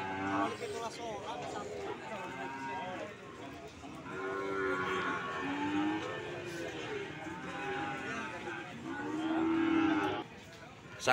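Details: Cattle at the Sokaraja cattle market in Banyumas give several drawn-out, wavering moos, each rising then falling, spread through the recording over steady background music and a man speaking.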